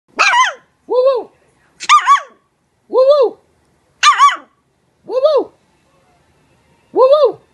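A Maltese puppy gives high, squeaky yips that arch up and down, alternating with harsher bursts about once a second.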